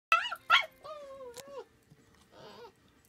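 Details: Labrador and young German Shepherd puppy playing together; high whining yelps with harmonics, two sharp squeals then a long descending whine, a brief click and a fainter grumbling whine near the end.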